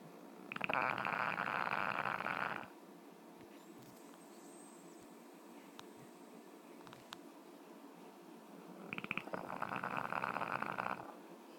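A French Bulldog snores in two long, rattling breaths with a quiet pause between them.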